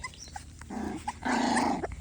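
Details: Puppy indoors making a low rough growling sound with a brief break in the middle, then a longer buzzy growl lasting about half a second.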